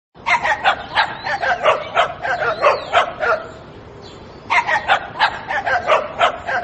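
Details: Small dog barking in quick bursts of sharp, high yips, a run of about eight, a brief pause, then another rapid series of short barks.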